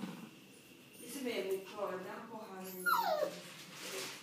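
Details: A dog reacting to its reflection in a mirror whines, with high whimpering notes that rise and fall sharply, mixed with people talking in Korean indoors.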